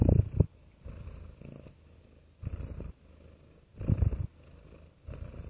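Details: Gentle purring from a pet cat: throaty low vibration with strong bursts at the start, near two and a half seconds and near four seconds, softer rumble in between.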